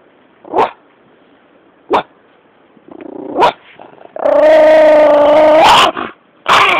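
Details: Small female dog standing her ground over a piece of ice in a backyard: three sharp barks about a second and a half apart, then a sustained, steady low growl lasting over a second, ending in another abrupt bark.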